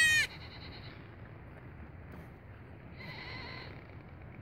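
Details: Late-born goat kid greeting its owner with short, harmonic bleats: a loud sharp cry at the start, then two fainter, steady nasal bleats about three seconds apart over a quiet background.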